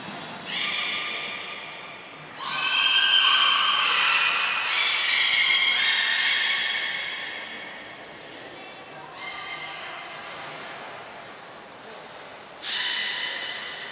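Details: Captive beluga during a shortened training session at Port of Nagoya Public Aquarium, 25 July 2021; bursts of bright, harmonic squealing whistles, some rising in pitch, separated by quieter gaps in a large indoor space.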